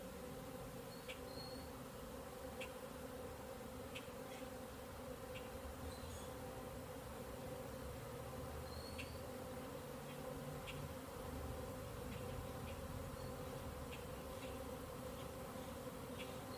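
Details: A ton of bees, not all from one hive, filling the air at a beekeeping yard, perhaps orientation flights; an unbroken, even humming drone of wings throughout, dotted with faint quick ticks and thin high chirps.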